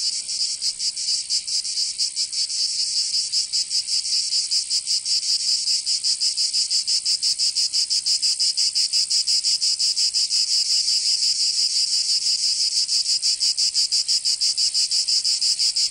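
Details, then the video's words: In the south of France, Provence, cicadas sing on a summer day: an unbroken, intense high rasping buzz made of fast rhythmic pulses that grows slightly more even over time, with no other voices. "Canto Cigarra 🦗 [ Escuchar les cigarras en verano 10 H]"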